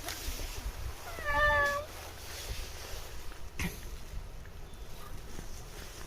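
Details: A shrine-dwelling cat, addressed by a passerby, gives one clear drawn-out meow lasting about half a second, steady then slightly falling, over low outdoor rumble with a brief knock afterward.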